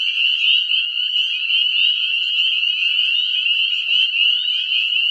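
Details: Spring breeding chorus of teeny Northern Spring Peeper frogs, calling after a few above-freezing nights in a small woodland; a steady, shrill, high-pitched roar of overlapping peeps, with one faint low knock near the end.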